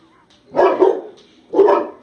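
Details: A 14-month-old mastiff, kept as a pet with a 4-year-old American Bulldog, barks at its own reflection: three loud, rough, mid-pitched barks, two in quick succession and a third after a pause of nearly a second, in a quiet indoor room.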